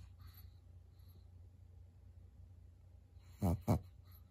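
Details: Senior pug Maria, a fawn twelve-year-old female at home in Japan, late at night in November: near-silence with faint low hum, then two abrupt, loud snuffling snorts a fraction of a second apart at the end.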